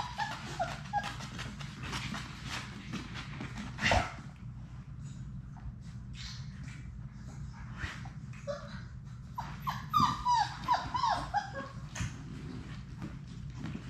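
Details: Six Labrador Retriever puppies of Sadie's litter playing in an indoor puppy play room: scattered short high whines and yips, a sharp yelp near four seconds, then a cluster of wavering whimpers, over a steady low hum with thumps and scuffling.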